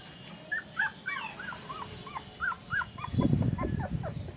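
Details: Show-quality Golden Retriever in Indore, Madhya Pradesh, India, giving a short run of high, arched whine notes spaced irregularly, then a rough low rumbling noise in the final second.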